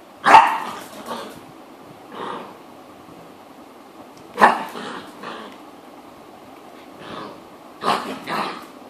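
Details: Barking from a female dog playing on her own: short sharp barks in small bursts, with clusters around the start, middle and end and softer grunting yips in between, separated by quiet gaps.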